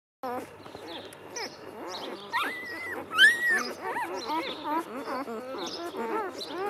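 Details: Two-day-old Golden Retriever puppies in a litter, many overlapping thin high whimpers and squeaks, some rising and falling, forming a continuous chorus of small cries.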